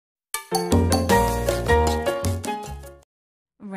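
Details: A short bright musical jingle of chimes and bass notes plays, with no animal sound.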